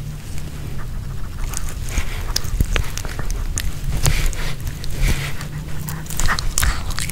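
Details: Pomeranian dog eating a homemade kebab of chicken hearts with bell pepper, recorded close up with no talking: scattered crisp clicks and crunchy bites over soft wet chewing, with a steady low hum underneath.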